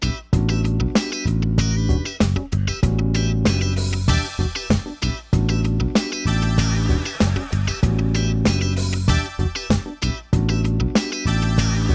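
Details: Loud plucked guitar and bass music fills the whole stretch, with no animal sound audible.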